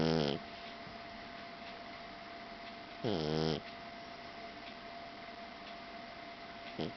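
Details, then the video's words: Sleeping blue Persian tomcat snoring, with short harmonic nasal snores spaced about three seconds apart against a quiet room hum. "the snoring cat"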